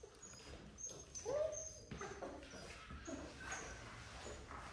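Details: Male AKC Miniature Poodle puppy named Affogato, red apricot coat, being socialized with people: one short whimper that rises and falls comes early, then faint soft yips over quiet indoor background noise.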